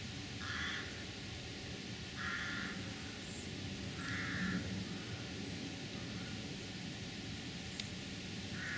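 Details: A roe deer doe in a Surrey woodland, calm and unspooked by the person filming, gives short, harsh, hoarse barks roughly every two seconds.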